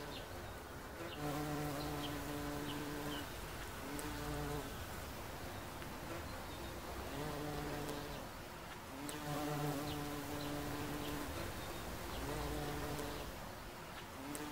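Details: Bumblebee visiting a daisy, its deep harmonic buzz coming in repeated bursts of one to two seconds with short pauses between, over a soft outdoor hiss and faint distant bird notes.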